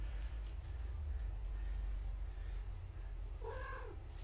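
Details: Domestic kittens of a mother cat named Gaia on a live foster cam during a weigh-in. One short, arching, harmonic meow rises and falls near the end over a steady low rumble of room noise.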